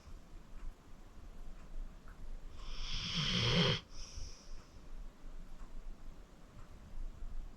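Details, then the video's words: Deep-sleeping 14-year-old rescued pit bull Acorn gives a single loud, rattling, whistly snore lasting about a second and a half, surrounded by soft slow breathing in a quiet indoor room. "Acorn Sleeping - Relax with a Snoring Senior Dog"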